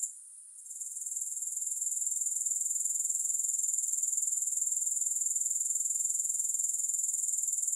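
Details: Shrill grasshopper sound opens with a quiet moment, then swells within a second into a steady, very high pulsing trill at about four pulses per second that continues evenly to the end, without music.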